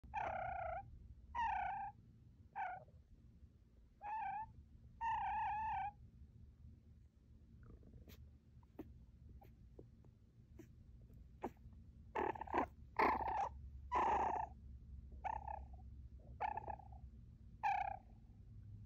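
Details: An eight-week-old female baby fennec fox purrs in contentment while cuddled and rubbed, a low steady rumble broken by short, bright, nasal chirring bursts.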